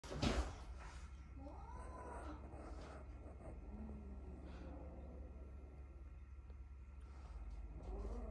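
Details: Kitten rescued from a garbage-filled hoarding home where many cats were kept, startled by a noise: a sharp knock opens, followed by a soft, drawn-out, arching meow, then quiet with a low steady hum throughout.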